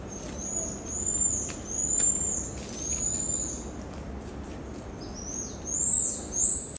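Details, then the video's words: Pied tamarin in the Brazilian Amazon giving thin, high whistled calls. Each is a drawn-out tone, several in a row, with short rising and falling notes near the end, over a low forest hum. "Tamarins Are So Charismatic...This Species Is Called Pied Tamarin."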